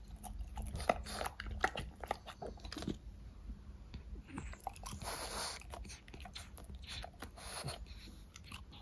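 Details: Close indoor chewing by French Bulldogs eating fruit snacks: dense run of crisp bites and crunches, some louder snaps near the start, steady faint hum underneath.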